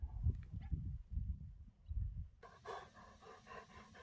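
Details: Dobermann named Jeff outdoors in the last sunshine at summer's end, a dog who loves getting wet. Low thumping handling or wind noise first, then quick rhythmic breathy panting bursts about three per second.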